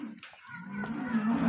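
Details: Friesian Jersey cross cow in Pakpattan, Punjab, Pakistan, giving a low, steady moo that swells in loudness and holds for about a second, with a faint rustling background.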